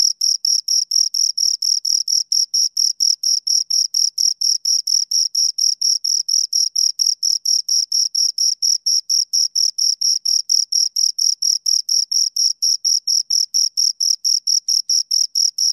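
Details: Two crickets produce a continuous run of shrill, rhythmic chirps, quick pulses following one another several times a second without pause, in a clean, quiet setting.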